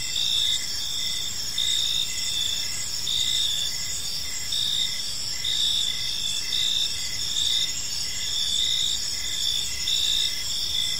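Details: Evening park ambience of crickets: layered high-pitched trilling bands overlapping, with pulsed chirps recurring about every second and faint low environmental noise beneath.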